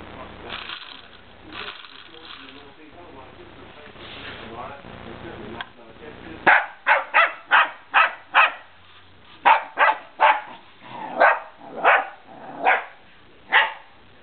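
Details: A man talks over background noise for the first six seconds, then Remy the dog barks repeatedly at a remote control car, roughly fifteen sharp barks in uneven bursts.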